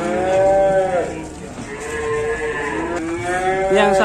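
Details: Fierce cow on an Indonesian cattle farm, pranked by its keepers. Three clear moos: a loud sustained low call in the first second, a steadier drawn-out lowing midway, and a final rising bellow near the end.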